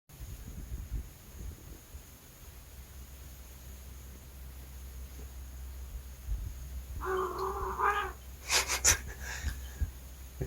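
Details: After a long quiet stretch, a pet cat gives a single short, nasal meow, followed by a few sharp clicks and rustles. A low hum continues in the background.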